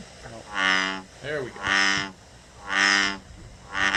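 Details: An American bullfrog from Connecticut gives deep, droning, resonant croaks, each about half a second long, repeated roughly once a second, likened to a giant bumblebee or a cow.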